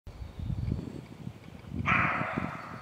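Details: A roe deer that has spotted the recorder gives a single harsh, hoarse bark after a stretch of low wind rumble.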